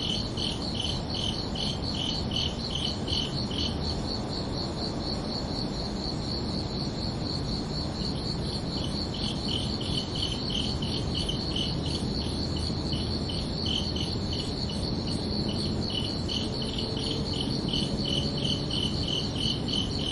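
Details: Crickets calling at night: rapid high chirps at the start fade and drop out for a few seconds in the middle, then return in a quick regular train, over a steady low background rumble.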